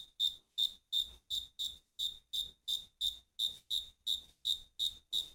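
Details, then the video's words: Singing crickets give a run of sharp, ringing chirps, evenly spaced at close to three per second, each brief and bright with clear silence between them. "Grillos cantando."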